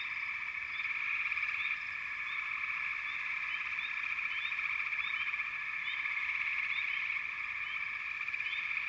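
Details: Frogs calling in a dense chorus: a steady, shimmering trill hums without pause while short, high rising chirps pop out every second or so above it.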